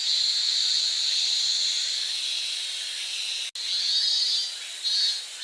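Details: A cicada's continuous high shrill drone, nearly unbroken, cutting out for a moment midway and then rising again in a brief louder surge near the end.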